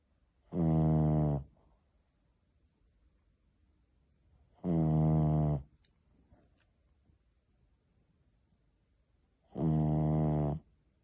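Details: Semyon, a three-month-old French Bulldog puppy, snoring while asleep indoors: three deep, rattling harmonic snores, each about a second long, spaced roughly four to five seconds apart, with near silence in between.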